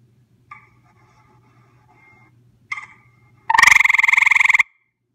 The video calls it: Closeup of our visiting frog - grey tree frog call